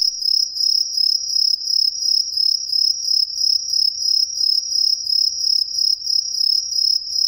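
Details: Shrill, piercing chirps of green tree crickets hidden in street trees around a residential neighbourhood in Ehime, Japan; an evenly pulsed high trill repeats roughly three times a second without pause, with many insects calling all around.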